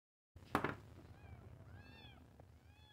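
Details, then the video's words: {'caption': 'Kitten meowing indoors, shown alongside two other cats: a soft thump, then several faint, high, arched meows with clear overtones, each rising then falling, spread over about two seconds against low background hum.'} "New Kitten Meow"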